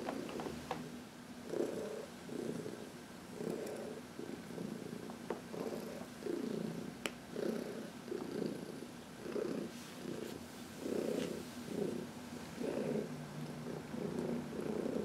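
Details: Contented purring from Heidi, a senior cat aged 14 from the Humane Society of New York City, during a massage in the sun, March 19, 2021: steady rhythmic purr pulsing roughly every 0.7 seconds, with faint rustles and touches.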